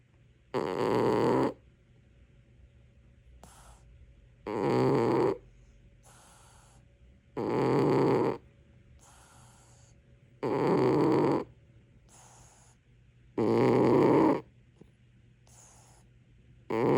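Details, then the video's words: Sleeping pet cat snoring loudly: deep, rasping inhaled snores roughly every three seconds, each lasting about a second, with soft airy wheezing exhales in the quiet gaps between. "코골이 고양이"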